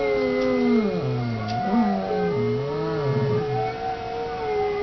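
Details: Domestic dog howls in several overlapping voices: low tones dipping and rising in waves, with a steadier higher note held underneath through most of the stretch.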